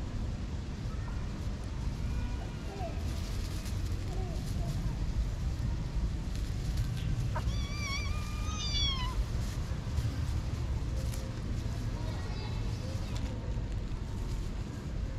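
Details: Young kittens, roughly six to eight weeks old, left alone when their mother vanished a week ago near a parking garage entrance. Scattered faint mews, then a cluster of clear high meows midway and more later, over constant low hum.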